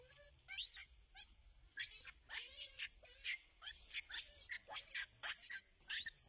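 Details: Baby Rainbow Monkey crying after Libby leaves her alone, wanting to go back to her mother: rapid series of high, shrill squeals and chirps, about two per second, rising and falling, with low background rumble.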